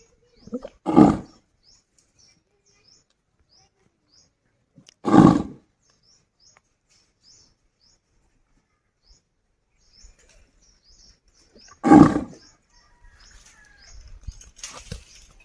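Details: Village desi bull calling a friend to come home: three short, harsh, rough bursts about four seconds apart, each under half a second, with faint high chirping between them and a soft rustle near the end.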